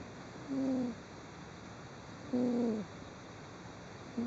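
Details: Cat snoring while asleep, recorded 16 December 2010: loud, clear, whistle-like tones that slide downward, each about half a second long, repeated roughly every two seconds over a steady low hiss.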